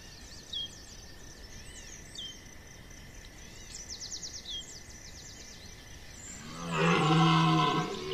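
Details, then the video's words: Red deer stag bellowing during the September 2021 rut at Chambord: a single deep, harmonic roar swells in near the end after several seconds of small birds chirping and twittering over a steady hum. "brame du Cerf"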